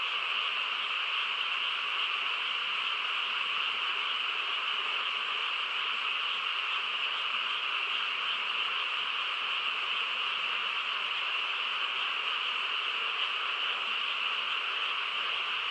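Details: Countryside frog chorus on a still night, many callers blending into one continuous, even trilling drone that holds steady for the whole stretch, with nothing else standing out.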